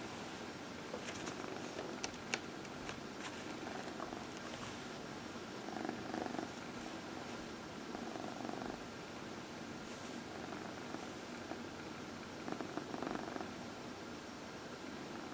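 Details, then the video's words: Purring from Dinah, a 14-year-old adopted cat, enjoying her evening massage on a lap indoors in April 2020; a continuous rumbling purr with rhythmic pulses swelling in short bursts, plus occasional soft clicks and handling noise. "Dinah — Massage"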